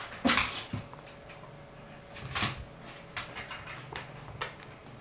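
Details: A Miniature Bull Terrier at play gives brief, high yelps and soft whimpers, spaced irregularly a couple of seconds apart, amid knocks and rustles in a small room.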